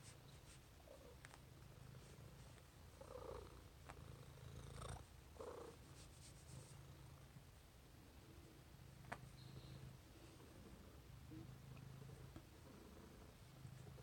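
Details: A domestic cat cuddling and purring: a low, even rumble repeated in long phrases separated by short gaps for breathing, with a few soft clicks and rustling of movement over the steady purr.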